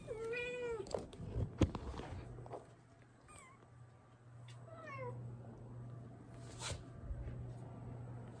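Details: Pet cat during a diaper change indoors: one long, steady meow at the start, then two shorter, fainter meows further on, with knocks, rustling and a low steady hum throughout.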